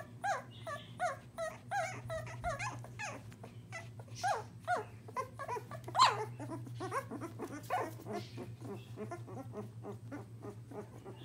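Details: English Springer Spaniel puppies almost two weeks old, moving around, give a busy chorus of high, squeaky whimpers and short rising yelps.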